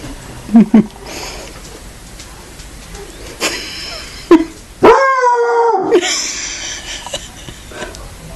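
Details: A Walker hound's first howl: one short, wavering howl of about a second that rises and then holds level midway through. Scattered thumps and clicks come before it, and faint noise follows.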